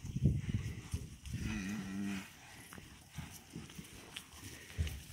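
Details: Young cattle on a farm running up to the farmer: a short low moo with a brief harmonic note in the middle, amid rustling and shuffling from the herd.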